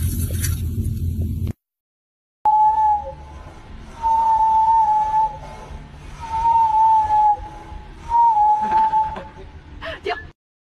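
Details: A sea lion whistles four times, each a steady, clear mid-pitched tone lasting about a second, spaced roughly two seconds apart. A brief burst of other noise comes before the whistles and a faint crackle after them.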